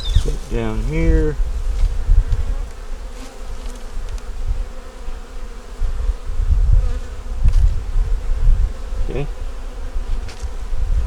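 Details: Honey bees in a small nuc colony checked in winter, yellow queen and brood in the upper box: a brief spoken phrase opens, then a continuous low hum with gentle surges and occasional clicks of handling.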